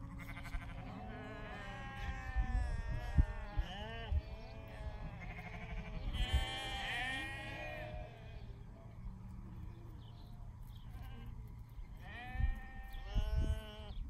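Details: Poll Dorset tops calling together, with many overlapping quavering bleats, some deep and some higher and harsher, rising and falling in long runs, plus occasional thuds and low rumble in the background.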